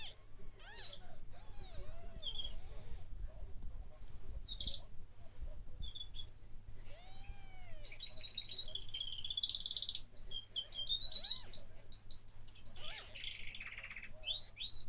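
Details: Day-old kittens crying in short, high, arched squeaks, bunched early on and again midway, while lively birdsong with trills and chirps fills much of the background.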